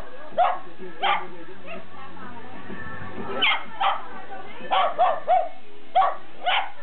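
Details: Smooth Fox Terrier, a pet dog, giving short sharp barks in bursts, about eight in seven seconds, in uneven groups of one to three, over a steady low background hum.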